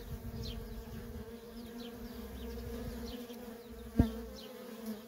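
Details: Constant drone of worker honey bees streaming in and out of a feral colony. The even hum holds throughout, broken by one sharp knock near the four-second mark.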